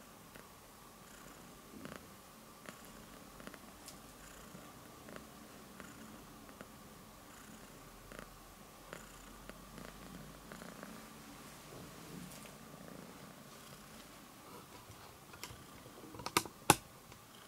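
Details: A little cat purrs while kneading, making biscuits. The soft, continuous rumbling purr stays quiet throughout, broken by light scratchy taps and a sharper sound near the end.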